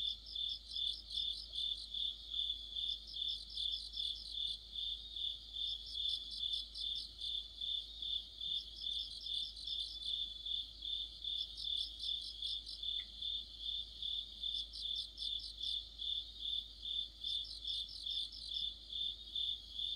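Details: Insect orchestra of autumn led by crickets: one constant shrill ringing note beneath groups of quick stuttering chirps that return roughly every three seconds, steady and rhythmic throughout, with only a single faint click breaking the chorus.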